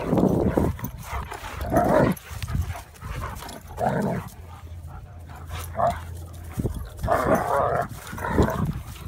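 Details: German Shepherd named Odin and Labrador named Remington in a play fight by a garden; rough low growling and snarling bursts with short barks, coming in waves of about a second with brief lulls between.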